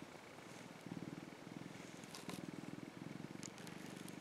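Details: Rescued young male orange tabby cat purring contentedly as it basks in the sun; a low, even rumbling throb in short breathing bouts, growing louder after the first second, with quiet background hiss.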